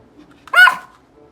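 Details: Silver poodle, normally quiet and rarely barking, indoors, impatient while told to wait for a treat; a single short high whining yelp with stacked harmonics, rising then falling, following a person's repeated command to wait.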